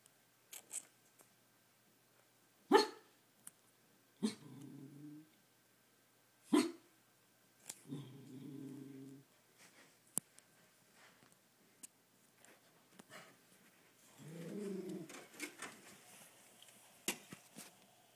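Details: An inside dog reacting to people walking past, something it does every day and through the night: sharp single barks alternate with low, rumbling growls lasting about a second, in a small indoor room.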